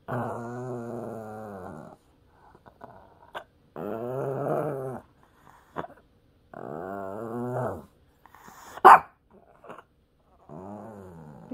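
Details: Puppy Peter, urged to say "mom", repeats a wobbling, moaning growl four times, each lasting one to two seconds with a rising and falling tone, separated by silences, with one sharp click.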